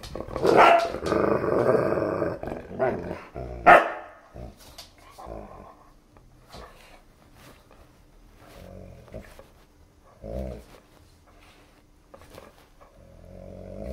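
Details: A German Shepherd and a Siberian Husky puppy at play with a favourite new chew toy; loud rough growls and a bark open the clip, fading to scattered soft grumbles and short huffs.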